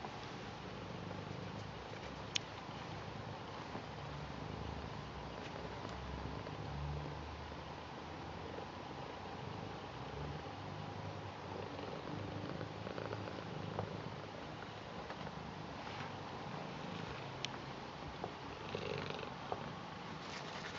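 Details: Garfield the British Shorthair cat keeps up a soft low purr while welcoming its grandad, a quiet steady rumble under light rustling and an occasional sharp click.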